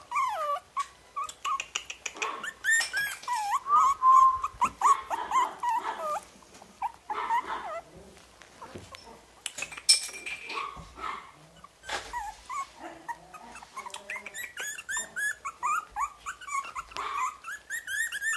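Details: Orange-cream Pomeranian puppies born July 31 whimper and yip in high, rising and falling squeals, overlapping in quick succession.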